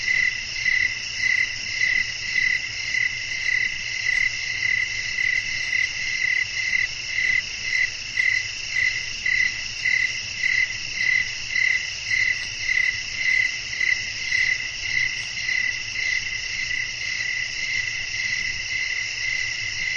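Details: Crickets singing at night in a natural setting with wind: shrill layered trilling with clearly pulsed bursts, nearly two per second, over a continuous high insect hum.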